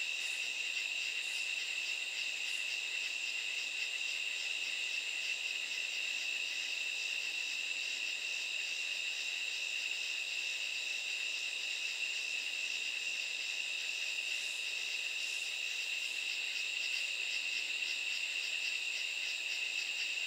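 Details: Nighttime katydid chorus, a continuous shrill ringing tone overlaid with rapid, rhythmic raspy pulses repeating steadily high above, dense and unbroken for the whole stretch with no other sounds.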